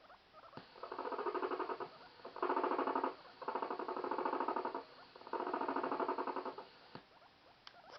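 A guinea pig gives a warning purr, bursts of low, rapid, throbbing pulses telling others to stay away.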